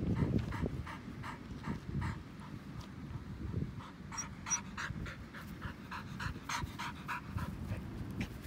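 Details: Elderly white Samoyed on a lawn, panting steadily in rapid breathy huffs, close to four a second, with uneven strength and soft rustling underneath.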